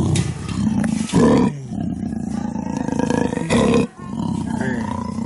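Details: Black leopard female in heat roaring to attract males at Cheetah Experience, recorded from outside her enclosure; rhythmic, grating low pulses with two loud rough surges and brief gaps between them.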